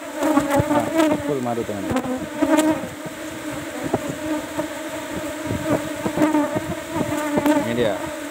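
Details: Swarming buzz of Asian honey bees (Apis cerana) at a kept hive box during a honey harvest, with rising and falling whines of passing bees over a constant drone, plus clicks and tapping.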